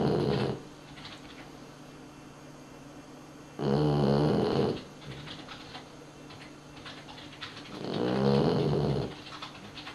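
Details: Dog snoring in its sleep, three rasping, rumbling snores spaced roughly four seconds apart, each about a second long, separated by quiet breathing pauses with faint background hiss.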